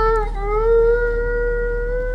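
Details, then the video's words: A pet dog indoors, said to be talking with its owner and saying I love you, gives a sustained tonal howl-like vocalization that dips briefly then holds a steady, gently rising pitch for about two seconds. "Dog says I LOVE YOU!"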